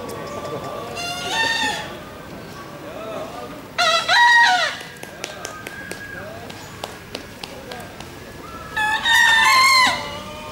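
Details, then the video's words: Contest bekisar, Pratama class final, national Pakualam Cup in Yogyakarta, December 2017: two short, bright, two-part crows about five seconds apart, plus softer distant crowing, clicks and background chatter. "SENI SUARA ALAM AYAM BEKISAR"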